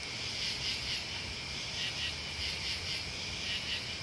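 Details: Steady shrill cricket and bug chorus, many overlapping high trills forming a constant ringing sound, with gentle rhythmic swells about twice a second.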